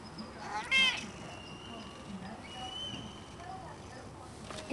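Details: Pet cat relaxing on a balcony on a sunny day in the Bay gives one short, loud, bright meow near the start, then faint quiet background with a person greeting it.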